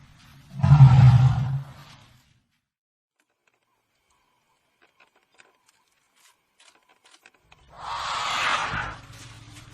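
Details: African elephant giving a deep, low rumbling roar for about a second and a half, then a long quiet gap, then a harsh, broadband trumpet blast near the end.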